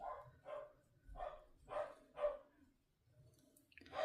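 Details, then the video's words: Fluffy corgi barking downstairs in a house, heard indoors from another room: a run of five short, muffled barks about every half second, a pause, then one more bark, with low indoor rumble beneath. "Corgis are tiny little dogs with really big personalities and really big barks."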